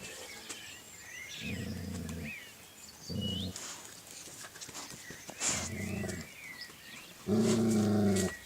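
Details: Small dog giving four drawn-out, low harmonic growl-like calls, each about a second long and spaced a second or so apart, the last one loudest, while birds chirp faintly in the background.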